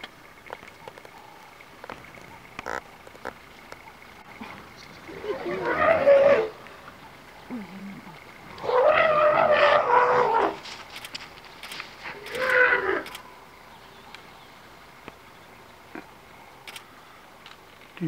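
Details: An African elephant in Kruger National Park charges a pack of wild dogs and then a police vehicle, filmed on a cellphone; three loud, harsh, blaring bursts, the longest near two seconds, rise over a steady engine-like hum.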